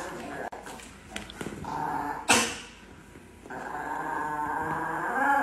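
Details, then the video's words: Sustained, humming growl from an angry Chihuahua, rising again after a brief dip, with a sharp knock midway and a short dropout early on. "The most Angry Chihuahua in the world"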